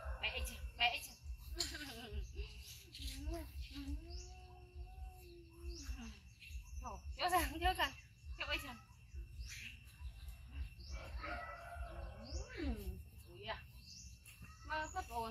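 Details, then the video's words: Young monkey Yoko crying loudly after being bitten by his brother Koko; repeated arched, wavering harmonic wails rising and falling in pitch, with background bird chirps and outdoor rural noise. "Monkey Koko Bites Brother Yoko Extreme Cry Loud"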